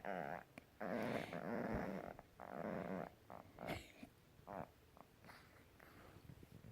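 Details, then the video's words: Puppy making weird noises: breathy, snoring-like growls in long rasping pulses, fading into softer snuffles and short grunts toward the end, in a quiet setting. "누마 희안한 소리 내기 puppy Numa making weird noises"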